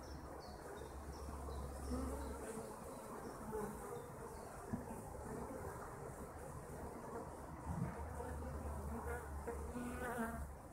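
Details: Kept honeybees fill the air with a dense, steady buzz of many overlapping wingbeats, individual bees rising and fading as they pass, over a constant low rumbling hum in the background.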